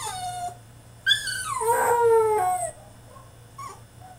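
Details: French Bulldog throwing a tantrum in his cage: one loud, drawn-out harmonic whine that rises and then slides steadily downward over about a second and a half, after a short thin whimper and before a faint closing yelp.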